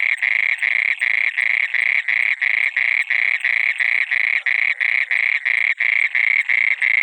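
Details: Frog at night in water producing a continuous series of harsh pulsed croaks, close to three per second, uniform in loudness, with a thin high whine running over them.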